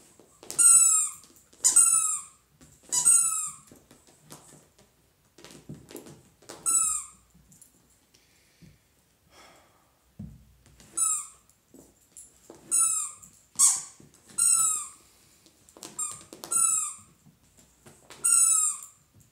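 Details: Happy Dachshund giving high, thin whining squeaks in short bursts, each falling slightly in pitch, about a dozen in groups of two or three with quiet gaps, and faint rustling in a small indoor room.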